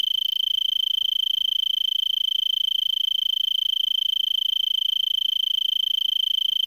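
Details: Arizona tree cricket in a brittlebush, Vail, Arizona, December 26 about 5 PM, roughly 70 °F, elevation 3300 ft; unbroken shrill trill of fast regular pulses at one steady pitch, quiet surroundings.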